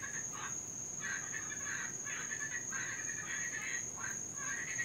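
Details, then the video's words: Cuban tree frogs calling at night in Florida, where they are invasive and heard all night, especially in rain: rasping, snore-like bursts repeat about every half second over a steady high-pitched insect whine. "NOISY TREE FROGS...(CUBAN)"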